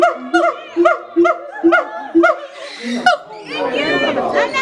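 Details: Siamangs at Auckland Zoo, New Zealand, giving loud, ringing hoots that rise and fall, repeated about twice a second, with crowd chatter after.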